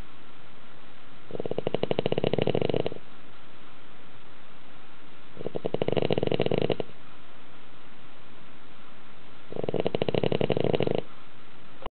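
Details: Sleeping dog's thunderous snoring indoors, said to make nearby people drowsy; three rattling snore bursts, each about one and a half seconds, repeating roughly every four seconds.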